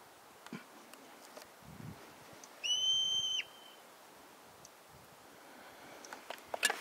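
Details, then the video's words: Marmot at Mount Rainier giving a single piercing scream, a loud, clear, high whistle held level for under a second, bird-like in tone, with faint rustling and quiet outdoor background before and after. "Mt. Rainier Screaming Marmot"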